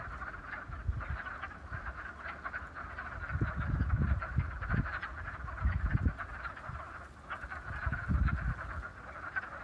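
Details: A chorus of wood frogs gives low, hoarse, duck-like "quacking" clucks in overlapping bursts in a vernal pond in Beaver County, Pennsylvania, on 28 February 2018.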